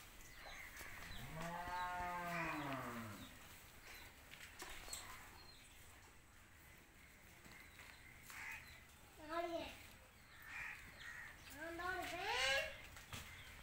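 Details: Punganur cows at a cow shelter during a Vijayadashami cow-worship ceremony; one long, drawn-out, rich moo rising then falling, followed later by two shorter, higher, bending moos, with faint background noise throughout.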